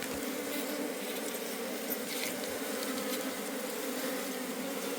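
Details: Wild honey bee colony in a forest during a honey harvest, the colony being taken home; a dense, steady droning buzz of many bees with a low hum and bright overtones, holding without pause throughout.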